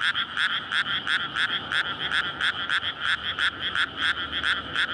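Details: Frog chorus at night in May in a flooded rice paddy readied for planting, surrounded by housing, males courting to breed; recorded on a SONY PCM-D100. Dense, overlapping croaks pulse rapidly, about four to five per second, bright and rasping, with no other sounds.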